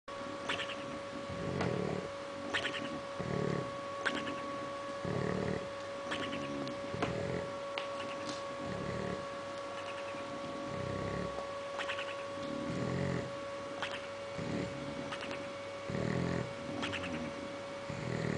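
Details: A sleeping bulldog snores loudly and steadily, rough rumbling breaths repeating about every one and a half seconds, over a constant background hum.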